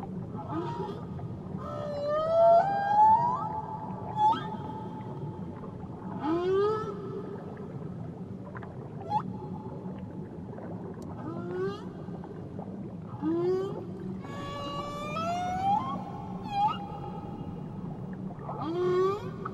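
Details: Whale song recorded off Tahiti: rising and falling tonal moans with bright harmonics, short upward sweeps recurring every few seconds, and high squeals layered over a steady low rumble of water.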